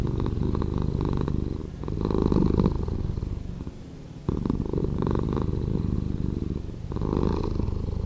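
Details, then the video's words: Purring cat, edited to be slower, giving a thick, continuous bass rumble that barely pauses, with gentle swells in loudness every couple of seconds and one short break midway. "Cat Purring"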